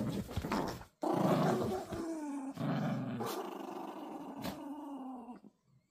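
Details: Little Toy Poodle puppies tugging at a rope together, snarling in a sustained low growl that swells loudly after a short pause, then rumbles on with some rustling before fading out near the end.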